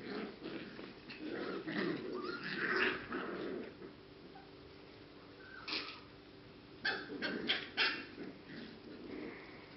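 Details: English cocker spaniel puppies, 6 and 7 weeks old, at the z Blatova kennel in the Czech Republic: several high, irregular yelps and whimpers, some overlapping, in bursts separated by quieter stretches over a faint steady hum.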